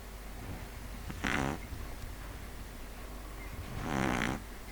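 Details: Sleeping pug giving two harsh, rasping snores about two and a half seconds apart, the second longer and swelling, against a quiet room with low background hum.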